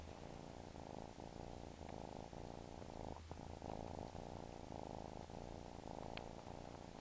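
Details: A house cat that suckles keeps up a quiet, unbroken purr, a deep rolling rumble with slight pulses. A few faint taps are heard over steady low hiss.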